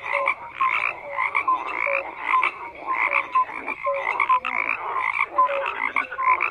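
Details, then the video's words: Frog chorus of repeated croaks in rhythmic bursts, each with rasping texture and short tonal notes at two pitches, many callers overlapping without pause. "FROGS CROAKING"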